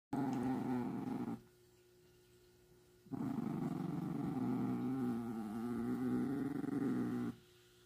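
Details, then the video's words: Chihuahua refusing to share, growling low and steady indoors in two long rumbling stretches separated by a short quiet gap. "Chihuahua sharing? Nope!"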